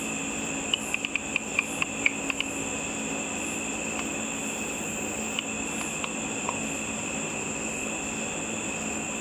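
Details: Bats flying over a pool in darkness, catching insects, heard through an ultrasonic frequency divider detector. About eight quick ticks cluster in the first two seconds, then only scattered single clicks over a steady background hiss.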